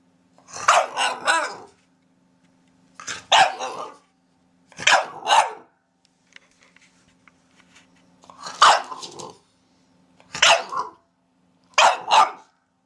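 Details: Dog barking in short bursts of two or three sharp barks, with pauses of about a second or more between bursts; a faint low steady hum runs underneath.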